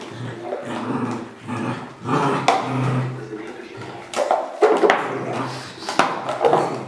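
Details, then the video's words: Barking red merle Border Collie, sharp irregular barks and yelping bursts over several seconds, some louder toward the end, with a low steady hum underneath in what sounds like a small indoor room. "BC Red Merle - Barking"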